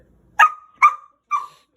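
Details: Six-month-old female rough collie puppy, angry at night, gives three sharp yappy barks, each dropping into a short fading tonal tail, about half a second apart; a woman scolds it between barks.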